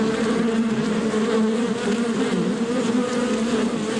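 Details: Real bees in their natural habitat, heard as a thick steady buzzing hum, many insects droning together without break.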